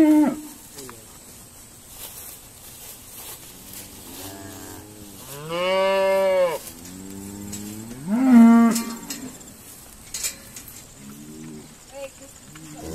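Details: Irish Dexter cows being sorted at Stone Meadow Farm; two long loud moos, the first swelling near six seconds and the second rising near eight seconds, with fainter moos from other cows and soft clatter in between.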